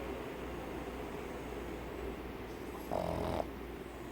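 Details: Pug, a flat-faced dog breed, snoring in its sleep. A single short raspy snore rises briefly above a steady low hum near the end, after several quiet seconds.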